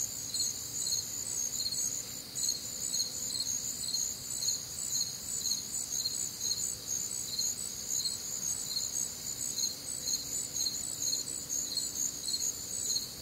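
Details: Crickets on a warm, humid Midwestern summer night, a dense chorus of high chirps pulsing roughly twice a second, with steady bands of other insects trilling above and no other clear sounds.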